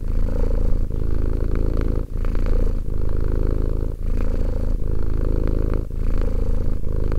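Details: Two-year-old cat Romek purrs in a low, throbbing drone, pulsing with breaths and dipping into short quiet breaks about every second.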